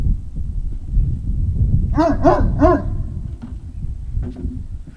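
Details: Great Dane puppies at Puppy Hill, recorded 03-05-2019 in the early evening, giving three quick barks in a row about two seconds in, over a steady low rumble of background noise with a few faint clicks afterward.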